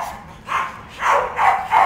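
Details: A pet female dog being coaxed to come and play indoors gives four short, sharp barks or yips in quick succession, each a bright broadband burst, spaced roughly half a second apart.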